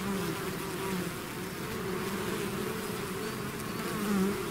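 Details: A bee swarm pouring out of its hive, a steady dense hum with layered drones near 200 and 400 pitch bands, slight swells in loudness toward the end, no other animals or voices.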